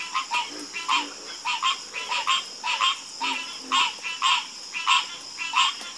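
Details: Night chorus of frogs: one loud croaking caller repeats a short, rasping burst roughly every half second, while a constant high insect whine runs underneath.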